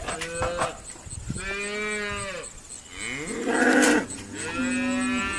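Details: Irish Dexter cows being sorted at Stone Meadow Farm on a noisy day; several overlapping moos, some long and steady, others rising then falling, with a sharper high bawl near the middle.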